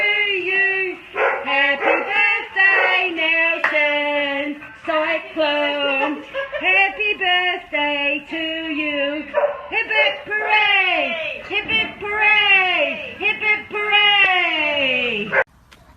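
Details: English Bulldog puppies, vocalizing in a nearly continuous run of tonal whines and yelps that swoop up and down, some long and drawn out, others short and clipped, with brief pauses between bursts.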